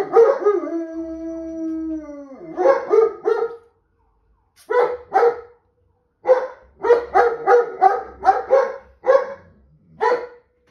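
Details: Reacting to a police car alarm, a German Shepherd opens with a long, slightly falling howl, then switches to clipped, harmonic barks in quick clusters separated by short silences.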